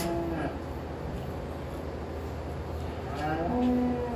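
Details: Dairy cattle at milking on a Christmas morning farm; two short, low lowing calls, one near the start and another near the end, separated by a stretch of steady barn hum.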